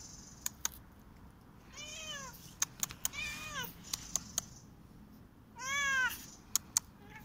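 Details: Korat cat playing on a tree and running in a garden in autumn; three clear arching meows with rich harmonics, each under half a second, spaced a few seconds apart, with sharp clicks and taps in between.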